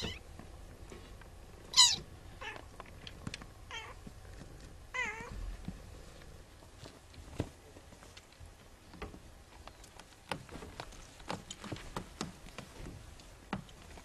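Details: Siamese kittens wrestling indoors, giving several short, rising-and-falling meows in the first half, then scuffling and tapping sounds from their play.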